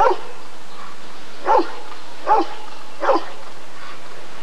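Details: At the ADRK Körung of 1994, a Rottweiler gives four hoarse, resonant barks, the last three roughly three quarters of a second apart, against a quiet humming background.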